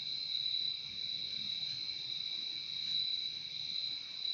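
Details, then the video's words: Nature recording of crickets: a continuous piercing high trill, layered with a slightly lower humming tone, holding level without breaks while soft low-pitched noise murmurs underneath. "Relaxing sound of crickets"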